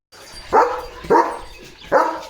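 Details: Leo, a pet German Shepherd, barks in the morning as cattle pass by on their way to the fields: three loud, deep barks spaced about 0.7 seconds apart, each with a short fading tail.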